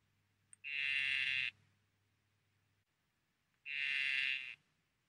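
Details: Poison dart frog calling in two short, dense buzzy bursts just under a second each, separated by about two seconds of quiet; a faint low hum runs beneath the first burst.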